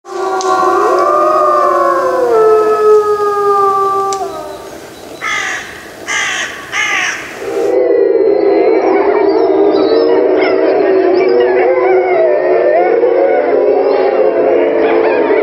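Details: A gray wolf pack in Yellowstone howls together in several long, overlapping, wavering tones that rise and fall at once.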